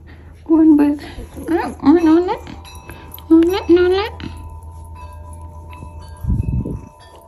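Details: Talkative pet Bengal cat grumbling indoors because it wants a massage and to jump on its owner's lap; wavering, harmonic meows in two bursts of rising and falling tones, over a steady low hum and a woman talking.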